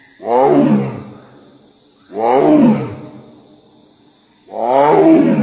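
A Bengal tiger gives three hoarse, moaning roars, each falling in pitch, about two seconds apart.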